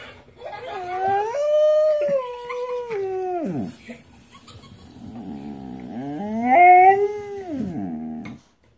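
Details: Domestic dog howls in response to his sister whining about being at Petsmart. Two long, wavering, harmonic howls: the first holds steady for about three seconds, and the second swells higher before sliding down.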